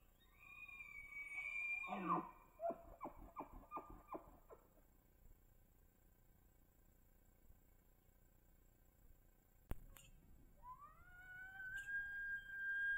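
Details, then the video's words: Bull elk bugling on public land in Idaho during the rut, caught by a cell trail camera: a high, sustained whistle sliding down into a series of rapid grunting chuckles, then a quiet pause before another rising, whistled bugle begins. "The Best Bull Elk Bugles Trail Camera Videos Compilation 2024"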